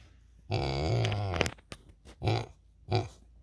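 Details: A pot-bellied pig making happy noises while being petted at a sanctuary gives a long, low, rumbling grunt followed by shorter contented grunts.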